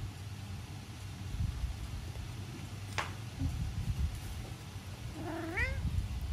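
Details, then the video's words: Norwegian Forest Cat meowing cutely while hugging, indoors: a single short rising-falling meow near the end, after a quiet stretch with low room hum and a faint click midway. "可愛く鳴きながら抱きつく猫 ノルウェージャンフォレストキャット A cat meowing cutely and hugging you. Norwegian Forest Cat."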